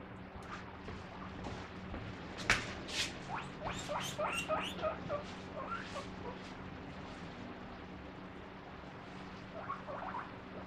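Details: Pet guinea pig coming out with "pui pui" squeaks when the fridge door is opened, begging for its favourite vegetables; a quick series of short, high, rising squeaks over a few seconds, then softer ones, against steady background noise and hum.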